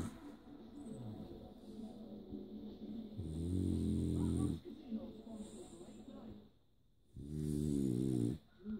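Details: A French Bulldog snores at bedtime in deep, rattling, pig-like grunts, each a long throaty rumble rich in low tones, with quiet pauses; a person speaks softly before the snoring begins.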